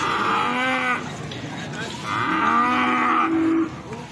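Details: Two separate moos, each about a second long, with a brief pause between them. Feeder cattle at the Plaosan cattle market in Magetan, with low market bustle in the background.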